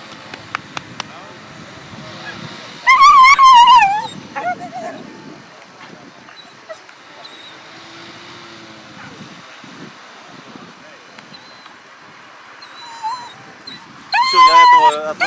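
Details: Whippets at the FCI European Championship 2018 dog show: two loud, wavering, high-pitched whines of about a second each, one near the start and one at the end, with Russian speech and quiet hall background between.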